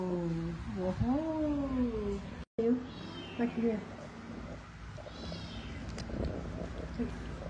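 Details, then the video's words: Kittens and cats being fed, with clear harmonic meows: a long rising-then-falling meow near the start, several shorter meows after a brief gap, and faint higher calls later, over background noise. "Feed cats and kittens meowing"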